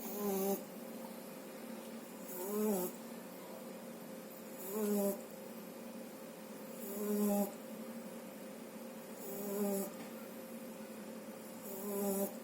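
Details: French Bulldog puppy Shturm, not yet two months old, asleep after eating and snoring steadily; each breath a raspy, whistly snore repeating roughly every two and a half seconds, otherwise a still indoor room.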